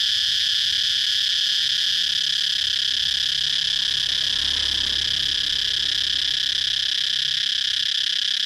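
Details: Steady, piercing cicada buzz running without interruption, a uniform high-pitched whine at constant volume, with a soft low hum underneath.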